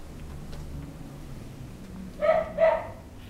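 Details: Male Italian Greyhound giving two short, high-pitched yips less than half a second apart, with a low steady background hum and nothing else.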